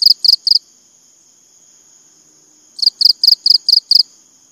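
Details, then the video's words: The end of one cricket chirp gives three pulses. After a pause a full burst of six shrill, evenly spaced pulses follows, with a continuous high hum behind. "BUNYI CENGKERIK"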